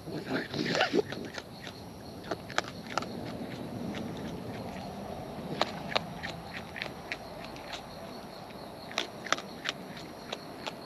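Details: Close-up chewing by wild raccoons while eating: scattered sharp clicks and crunches, a brief louder rustling burst at the start, then sparse snaps every half second or so over a steady soft background hiss.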